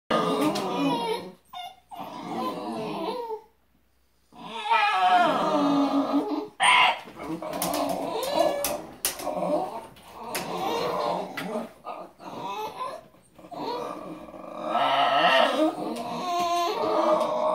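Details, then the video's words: Basenjis crying at squirrels give long, wavering, yodel-like whines that rise and fall with brief pauses between. "Basenjis cry at squirrels"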